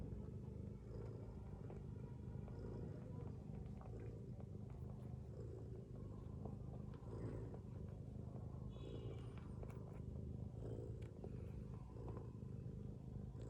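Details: Sleeping mother cat lying with her kittens gives a long, even, low snoring rumble that stays at the same level throughout, with small soft rustles and faint high ticks over it.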